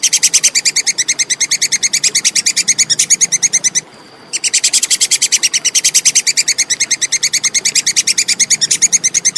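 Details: Clear Plantain squirrel calling, recorded as training material for competition songbirds. Hard, high ticking notes pour out in a steady machine-gun rhythm, with one short silence near the middle, over a faint steady background hum.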